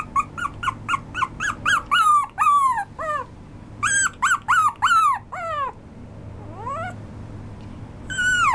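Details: Maltese and Shih Tzu mix dog producing bursts of sharp, downward-sliding yelping whines in quick clusters, broken by a short pause with one rising squeal, then a final loud whine; faint hum underneath.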